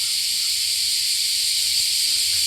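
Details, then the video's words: Cicadas at Shidoji temple, number 86 of the 88 temples on Shikoku, Japan, in 47°C heat, a deafening chorus: a steady, unbroken high-pitched hiss that never pauses. "le bruit des cigales ici est assourdissant"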